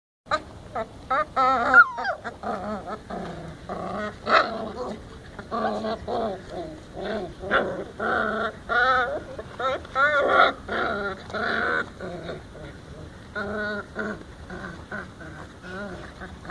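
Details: Several hungry puppies beg for food around a person's feet, barking, whining and growling. High, wavering yelps and whimpers with rich harmonics follow one another in quick, irregular bursts for the whole stretch, with only brief pauses.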